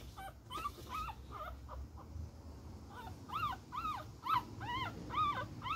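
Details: Fighting Beagle puppy letting out a run of high, bent whining yips, sparse at first then quicker and louder near the end, over a low rustling background.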